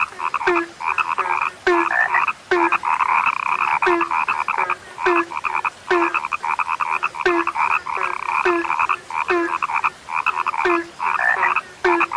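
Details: A chorus of frogs, said to have become rare, croaking in quick buzzy pulses that overlap continuously, punctuated by a steady low clipped note repeating about twice per second with short gaps.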